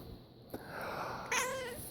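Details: A pet cat reacting with displeasure to a person's sneeze, answering with one short, harmonic, slightly wavering meow in the last second, indoors after a brief sharp noise.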